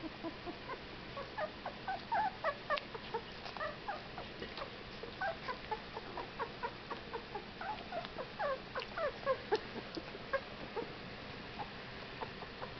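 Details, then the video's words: Fifteen-day-old Whippet puppies giving scattered, high squeaky whimpers and short yelps throughout, several pups overlapping in an irregular chorus over steady background hiss. "Whippet Puppies!"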